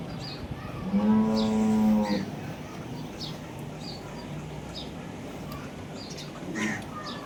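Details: Friesian cross cow offered for sale on a farm in Pakistan gives a single steady low moo of about a second, with clear harmonics, followed by background murmur and a fainter short moo near the end.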